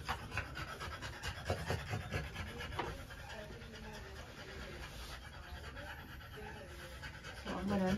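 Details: Female French Bulldog panting during a trans-cervical insemination: quick, breathy rasps crowd the first three seconds, then soften, while a person talks calmly nearby and equipment hums faintly.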